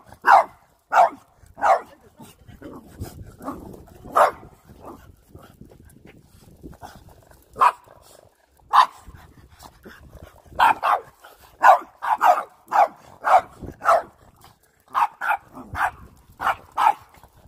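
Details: Pet dogs barking at a household broom: short sharp barks, sometimes single, sometimes in rapid runs of three or four, with brief pauses and soft scuffling noises between outbursts.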